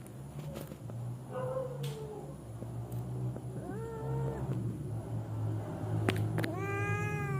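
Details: Wild cats settling down to sleep, giving several short rising meows amid a steady low hum and background rumble.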